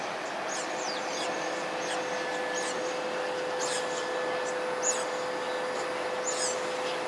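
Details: Nomadic smooth-coated otters in south-west Singapore, 6 October 2022 at 10.14 am: thin, high, quick chirps repeated roughly every half second to second over a steady hiss and hum of background noise.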